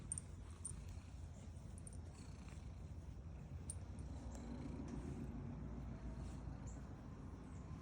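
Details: A female domestic cat purring while being petted: a steady, low, throbbing rumble with fine rapid pulses, continuous throughout and swelling slightly midway, with faint soft rustles and light clicks over it.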